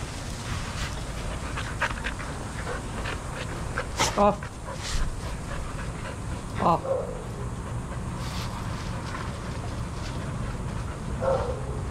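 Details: Adoptable shelter dogs playing together at a daycare: a few sharp, isolated barks ring out near the fourth, seventh and eleventh seconds over a steady low rumble of background noise and faint chatter.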